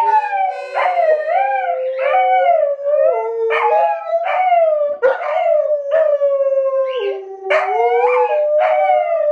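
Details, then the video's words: Two Alaskan Malamutes, the puppy Fish and Sojou, howling together as harmonica plays; long wavering tonal howls slide up and down, overlapping in a duet, with harmonica tones mixed in and a brief spoken praise after. "Alaskan Malamutes Howling Duet"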